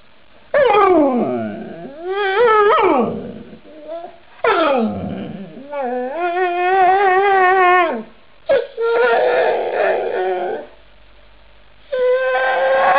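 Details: Chattering snow dog in a compilation of talking dogs: a long series of varied, speech-like howls, swooping down, wobbling, holding steady wavering tones, and breaking off into short yips and yowls across thirteen seconds, recorded indoors.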